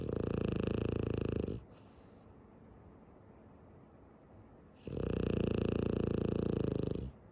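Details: A female French Bulldog named Tsumugi snores while sleeping with her eyes open: two long rattling snore breaths, each about one and a half to two seconds, with fine rapid pulsing, separated by a quiet pause.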